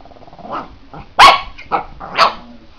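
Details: A female Pekingese, angry while facing off against a cat, gives low, muffled grumbles, then three sharp, high-pitched barks about half a second apart, short, harsh and bright.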